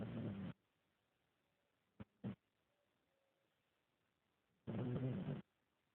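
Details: Sleeping French Bulldog named Elvis giving low snoring breaths, one rough burst at the start and another near the end, with two brief snorts between.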